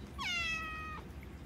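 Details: Hungry house cat meowing loudly for attention and food indoors, waking a sleeping pitbull; one long drawn-out meow, rising sharply then holding a bright harmonic tone before dropping off, about three-quarters of a second long.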